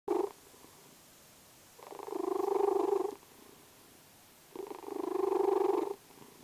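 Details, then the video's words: Vasya, a sleeping domestic cat, snores and purrs: two rough, rumbling breaths about a second and a half long, swelling then cutting off, with quiet pauses between them in a still indoor setting. "Кот Вася храпит."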